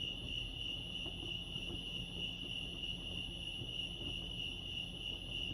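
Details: Crickets chirping at Lake Arrowhead, California: a steady, unbroken high-pitched trill sustained throughout, with a soft low rumble of background noise underneath.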